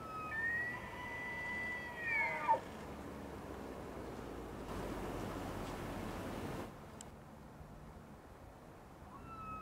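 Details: Bull elk bugling in the early morning during the annual rut in Yellowstone National Park. A high, whistled tone with faint overtones is held about two seconds, then drops sharply. A broad rushing noise follows.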